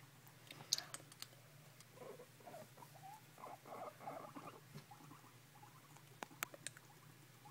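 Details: Pet male guinea pig chattering at its owner: a soft, rapid, irregular clicking patter bunched through the middle seconds, with a few sharper isolated clicks before and after and a steady low hum underneath.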